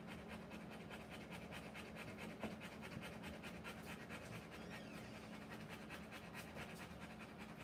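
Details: Quick, even panting from a Rottweiler in labour delivering puppies continues without pause over a constant low background hum.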